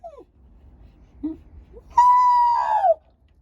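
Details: Shiba Inu dog howling, linked to a walk: a few faint short whines, then one loud, sustained, rich tonal howl lasting about a second, holding steady before sliding downward at the end; quiet indoor background.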